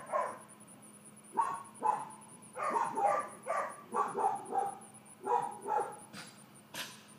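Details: Georgia, a four-month-old female miniature dachshund puppy in leash and calmness training, gets excited and gives sharp, mid-pitched yapping barks in irregular clusters, about nine in seven seconds, over a faint pulsing high electronic tone and low hum.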